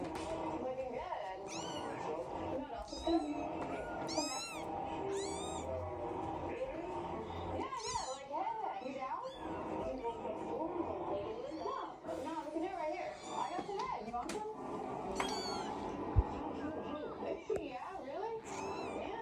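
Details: Three-week-old Scottish Fold kittens from a litter of seven: high, thin mews rising and falling in quick bursts, several kittens overlapping and calling repeatedly throughout, over a steady low background murmur.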